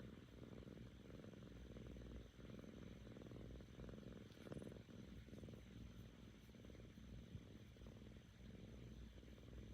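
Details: Happy seven-month-old female Korean shorthair kitten, mostly over ear mites, purring contentedly with her owner; a continuous deep pulsed rumble rising and falling with her breathing, with a brief faint rustle midway.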